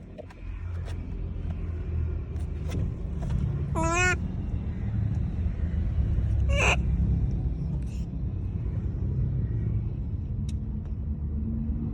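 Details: Monkey calling out to people: two short harmonic, wavering calls a few seconds apart, each a quick downward-stepping squeal, over a constant low rumble of passing vehicles.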